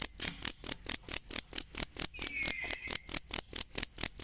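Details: Cricket, used as a tutor sound for songbirds, producing sharp, high-pitched pulsed chirps at an even pace of a little over two per second, with one faint falling whistle midway.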